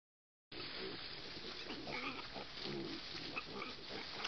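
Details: Wild boar piglet nursing at its mother: low, rhythmic grunting with short nasal oinks and soft squeaks, heard against a constant hiss of outdoor background noise.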